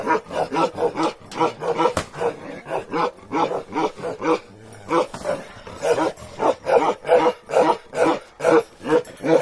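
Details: Rapid repeated barking from a big lion-head Bakarwal dog of pure line, kept with puppies; short harsh barks come in quick bursts, roughly two a second, with a brief pause midway.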